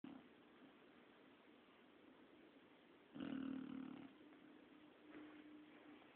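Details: An 8-month-old English Bulldog snores while napping: a quiet hiss of breathing broken by one loud, buzzy snore under a second long, then a fainter rattle a couple of seconds later.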